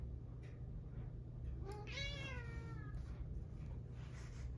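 A Siamese cat gives one long, drawn-out meow that rises and then falls, over a steady low hum.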